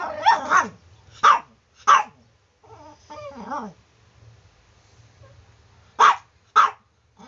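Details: Chihuahua sounding off in the morning with sharp, high barks in small clusters and a few squeaky, whimpering notes, over a low steady hum.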